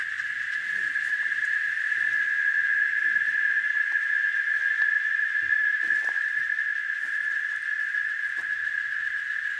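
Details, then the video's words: Cicada singing in nature at Varginha, Minas Gerais, Brazil: one unbroken, steady buzzing whine held at a single high pitch throughout, loud and even, with only faint scattered sounds beneath it. "Som da cigarra, canto, barulho da cigarra na natureza"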